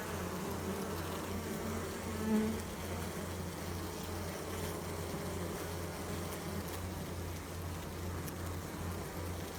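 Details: Wing buzz of a honey bee: a steady low hum pulsing gently at an even rate, with a soft wash of broad background noise and one brief brighter swell near the start.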